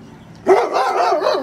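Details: Anatolian Shepherd Dog barking from a window at workmen next door; one loud harmonic bark starting abruptly, then a sustained rough tonal whine-bark with wavering pitch.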